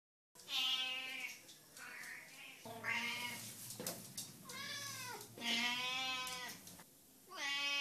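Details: Cat whose voice sounds like a lamb, giving a run of drawn-out, bleating meows with strong harmonic stacks, some rising then falling, one after another with short gaps, indoors and close.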